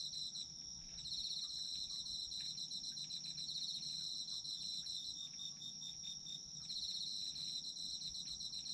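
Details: Chorus of autumn insects for sleep: a constant shrill high trill overlaid with fast, throbbing pulsed chirps about four per second. The pulsed layer starts after one second, fades briefly near the middle and ends a moment before the close.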